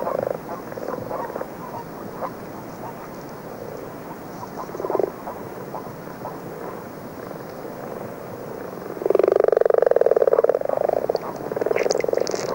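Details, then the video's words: Common frogs snoring in early season with a few common toads; faint scattered purrs at first, then a loud rattling purr of about three seconds near the end. "attentivement l'oreille pour écouter les ronflements sourds des grenouilles rousses qui chantent ici en compagnie de quelques crapauds communs"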